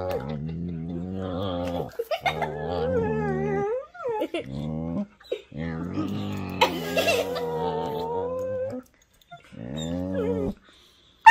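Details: Two whippets indoors playing a chewing game with each other, making strange vocal sounds: long harmonic moaning growls and whines, wavering in pitch, in several drawn-out bursts of one to three seconds with short gaps.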